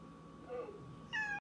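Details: Domestic cat in conversation indoors, giving a soft faint murmur followed by one short, clear, flat meow at the end, over a steady low room hum.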